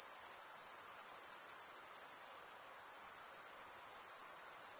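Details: Male crickets stridulating, scraping a wing across the comb-like teeth of the other wing, make a steady piercing high trill of dense rapid pulses, barely changing in volume, with nothing else audible.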